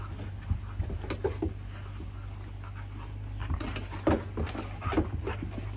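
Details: Siberian Husky puppy Juno playing indoors with another dog, Echo; low rumbling growls and panting bursts come in short clusters over a steady low hum, with a few sharper, louder grunts near the end of the sequence.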